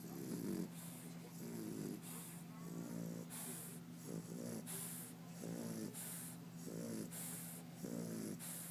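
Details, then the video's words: English Bulldog named Turk snoring: rough, rattling snores in regular bursts about every one to one and a half seconds, each inhale a buzzy snort alternating with a softer hissing breath, over a steady low hum. "English Bulldog, Turk Snoring"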